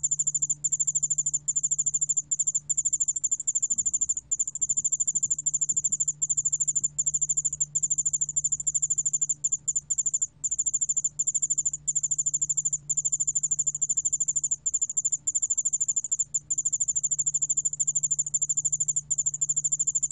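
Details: Sustained piercing trill of a Yeoul-allak ground cricket, archived by the National Institute of Biological Resources in 2020. Rapid pulses flow in long runs with scattered short dropouts, over a constant low droning hum.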